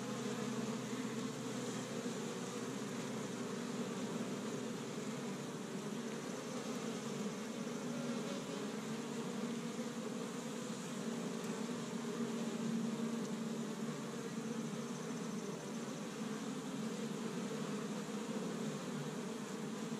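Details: Honey bees of an established hive on the first warm spring day in Michigan, busily gathering pollen from tree buds: a dense, steady droning hum with layered low tones, unbroken for the whole stretch.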